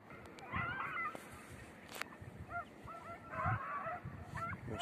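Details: Red and blue tick and lemon-white beagles on hare-hunting practice on Crete in 2021: short yelping, rising-and-falling bays in two bursts, with a sharp click, rustling and steady background noise.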